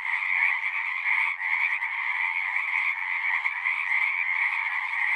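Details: Frogs singing at a pond in a horse pasture, recorded with a Zoom recorder: a dense, continuous chorus of overlapping trills in two bright bands, steady throughout with no gaps.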